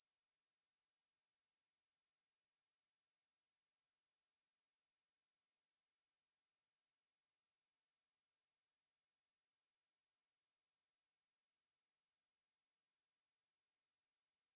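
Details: Korean conehead katydid (애매부리) recorded in 2020 by the National Institute of Biological Resources, giving a long, even, high-pitched electric buzz that never breaks. No other sounds intrude.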